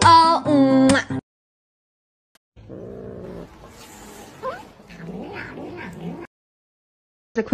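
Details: Pet cat in a cute compilation; steady music opens, then after a pause come wavering, rising meows and yowls mixed with faint voices.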